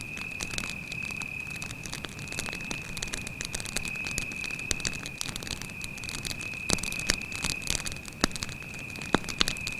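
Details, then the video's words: In a night forest by a campfire, a cricket keeps up a sustained high thin trill while the fire hisses and crackles, with louder pops near the end. "звуки сверчка"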